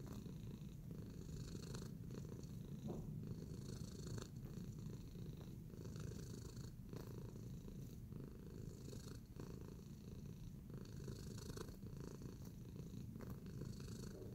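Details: Contented purring by Tacy, a pet cat kneading in a relaxed mood: a deep, unbroken vibrating drone over fourteen seconds, with light scratchy brushing sounds at intervals above it.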